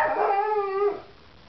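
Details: A hungry Irish Setter howls for food: one steady, tonal, rich-harmonic howl held for about a second, then cut off, leaving quiet.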